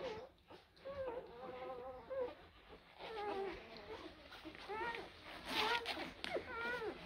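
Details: Blue Great Dane puppies from litters born in April 2023, whining in thin, wavering tones that rise and fall in short bursts, several overlapping, with brief gaps and soft background noise.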